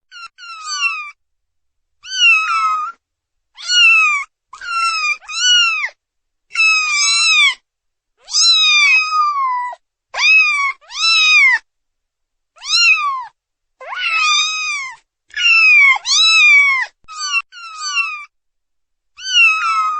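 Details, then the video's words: Several kittens meow for their mother repeatedly in thin, high, arching cries that overlap one another. "Kittens Meowing Sound Effect"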